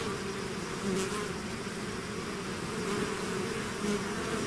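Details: Swarming bees out of the hive give a constant low drone, with individual insects briefly buzzing louder as they pass close, over a thick steady hum.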